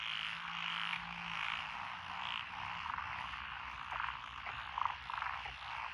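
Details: Frogs calling from lotus paddy fields beside a rural lane in Echizen City, Fukui, Japan, June 12, 2021: a steady massed croaking wash with a few louder individual croaks rising near the end.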